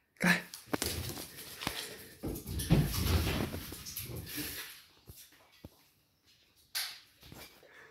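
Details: A 10.5-month-old male Patterdale terrier pup playing with his ball: loud breathy snorts, grunts and a brief whimper in irregular bursts, with thumps and rustling between them and quiet gaps near the end.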